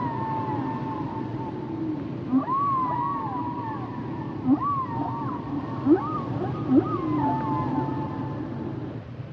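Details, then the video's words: Humpback whale song phrases: wavering mid-pitched whistles that rise and fall in arcs, each phrase punctuated by a short sharp upswept chirp, repeating about every one to two seconds over constant underwater hiss. "Sounds and Songs Of The Humpback Whales"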